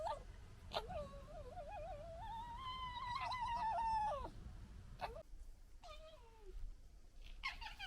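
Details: Red foxes from a local family gekkering amid fighting and disagreement; a long warbling whine rising and holding for several seconds, then shorter falling wails and a sharp burst at the end.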